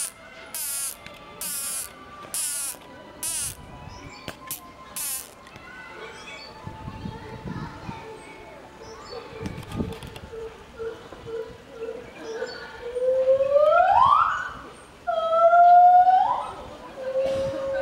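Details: Chimpanzee whistling at Tobu Zoo, Japan: a few loud, clear tonal whistles sweeping upward, with a long rising one and a shorter repeat near the end, preceded by quiet murmurs and a run of harsh rhythmic buzzing bursts at the start.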